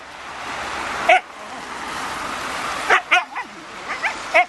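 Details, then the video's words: Raign, a Siberian Husky, frustrated with a ball or balloon: a few short, high yelps with bent, wobbling pitch, one alone then a quick cluster of three and a final cry, against constant hiss. "Хаски психанул на мячь"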